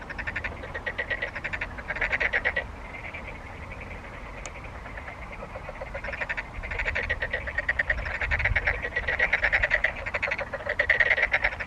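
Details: Frog chorus of rapid, pulsed, rattling croaks in overlapping trains that swell and fade, with several callers heard together over a soft low background hum.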